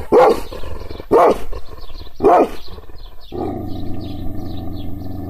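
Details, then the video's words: Angry Kangal shepherd dog, provoked by hand gestures without being touched, giving three deep, harsh barks about one second apart, then a low steady rumble with faint high chirps in the background. "Yırtıcı kangal köpeği anadolu aslanı çoban köpeği kızgın köpek havlamasi"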